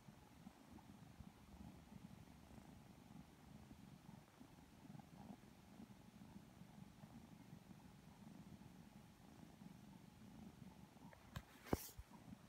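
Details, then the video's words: Two Lilac Modern Lynx Balinese kittens, sleepy and purring while being petted and cuddled; steady low rumbling purr throughout, with a brief sharp rustle or click near the end. "Kittens Getting Some Loving Cuddles [Sleepy Purring ASMR]"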